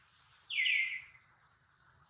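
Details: A single sharp, shrill cry from baby monkey Duke, hurt after failing to catch his mother Duchess. It starts high and drops quickly, then a fainter thin tone trails after it.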